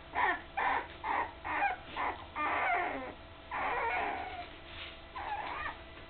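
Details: Wobbly puppies nearly three weeks old, eyes just opened, with mother Candy nearby: a string of short rough squeals roughly every half second, then longer, noisier cries.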